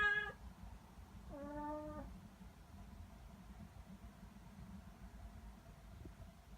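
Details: Three-to-ten-month-old tabby-and-white cat: a short, high meow, then a longer, lower, level meow of under a second. Faint low room noise follows.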